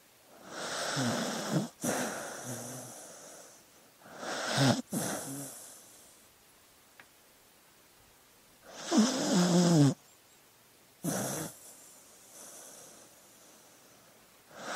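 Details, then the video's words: Dog snoring in its sleep, irregular bursts of wheezy, rasping breaths with low rumbling undertones, separated by quiet pauses of a second or more. "Sleeping Dog Sounds"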